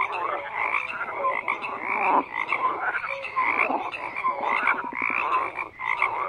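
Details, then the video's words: A crowded frog chorus of rough, grating croaks layered on one another, with brief clear whistled notes breaking through now and then and a short dip in loudness near the end. "FROGS CROAKING"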